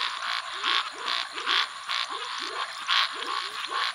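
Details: A Venezuela snouted treefrog (Scinax x-signatus) gives harsh, raspy territorial notes about twice a second, with other frog species calling in the background.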